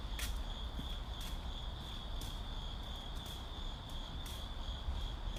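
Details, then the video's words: City ambience with crickets: a continuous shrill chirring trill holds level throughout, while brief sharp taps or footstep-like knocks recur about once a second over deep background rumble. "Ambient Crickets in City"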